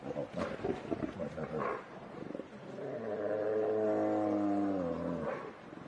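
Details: Two grizzly bears fighting, clashing with rough, huffing grunts, then one gives a long, deep, rumbling growl of aggression.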